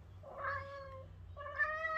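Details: Siamese cat on the prowl, protecting its owner after sensing something: two drawn-out, tonal meows, the first long and slightly falling, the second shorter and steadier and ending louder, over a faint low hum; a woman's voice speaks around them.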